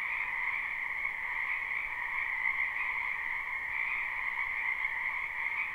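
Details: Frog chorus from a spring wetland, live recording with no looping: many frogs croaking together in a continuous, level wall of trilled calls without pauses.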